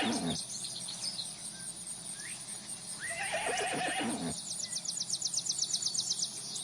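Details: Horse on a farm with a herd: one shaky, falling whinny lasting about a second, loud harmonics sliding downward, with soft hoof clatter and rustling before it and fast clicking afterward.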